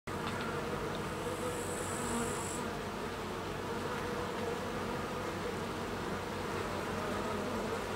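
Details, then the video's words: Carniolan honey bees, Apis mellifera carnica, a dense continuous low droning hum of many wings with steady texture, a brief thin high whine in the first few seconds. "Apis mellifera carnica - Carniolan honey bee"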